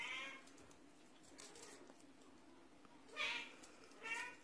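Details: Russian Blue cat with short, bright meows, one at the very start and two more near the end, each brief and high, separated by a quiet stretch of low hum and faint rustling.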